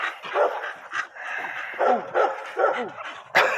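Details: Pocket American Bully female during bite sleeve training, excited, driven play: short sharp barks and yips in quick bursts, with people laughing and talking nearby.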